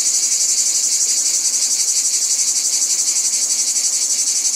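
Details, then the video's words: High, piercing cicada chorus that pulses rapidly and evenly, about four beats a second, over a softer continuous rasp, with no other animals or noises. "Cicadas | Black Screen Sounds"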